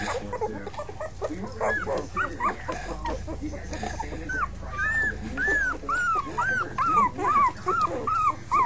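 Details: Five young puppies: a rapid series of high arched whimpers and squeaks, building into regular yelps roughly twice a second, with faint voices behind.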